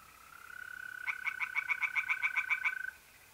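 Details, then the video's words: A single tree frog series from a pond in north-east Italy on an April night: about eleven quick, crisp pulses in under two seconds, laid over an unbroken high mole cricket trill. "relaxing singing tree frogs in pond"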